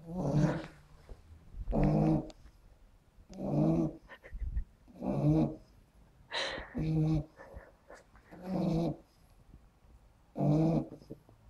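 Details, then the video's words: Loud snoring from a sleeping puggle in a weird sleeping position, eight low, throaty, rattling snores at a steady pace of about one every one and a half seconds, indoors with no other clear sounds. "puggle snoring loud!!"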